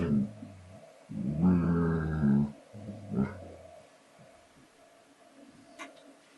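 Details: American Bulldog, scared of a border collie over his bottle, lets out low moaning groans: a short one, a longer wavering one, then a brief grunt, over indoor background hiss.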